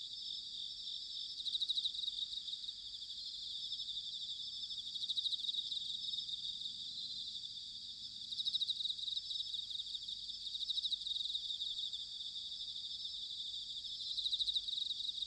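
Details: Autumn chorus of bell crickets recorded in Sanuki, Chiba, Japan: a steady high ringing trill with pulsed swells that rise and fade every few seconds, many insects overlapping, faint low rumble beneath.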